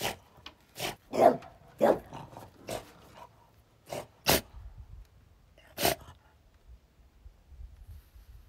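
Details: On guard, a French Bulldog gives a run of brief, explosive barks, about one every half second at first and then more spaced out, with a faint low rumble underneath.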